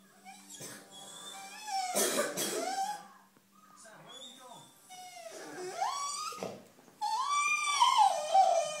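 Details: Two-year-old Airedale terrier indoors, calling out while watching a wildlife documentary about African wild dogs: wavering, whining howls that rise and fall, mixed with the television soundtrack and a brief cough-like sound.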